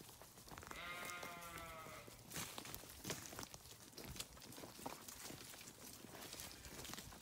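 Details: Grazing sheep on a farm give one harmonic bleat of about a second, early on, followed by steady broadband rustling and crunching noise of feeding.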